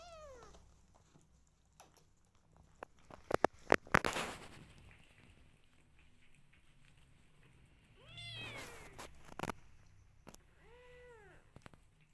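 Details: Rescue kittens meowing indoors: a falling meow at the start, then two clear rising-and-falling meows near the end, separated by sharp clicks and handling noises in between.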